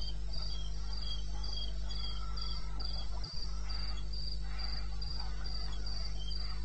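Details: Night cricket song from the eastern Botswana wilderness, recorded at 02:30 AM on 21 May 16, with shrill pulsed chirps repeating steadily, several overlapping callers, over a constant low rumble and a brief thump midway.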